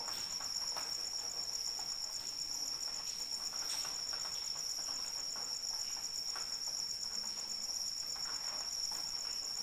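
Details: Rain and a cricket together: the insect's shrill, fast-pulsing trill holds steady throughout as gentle rain patters in the background.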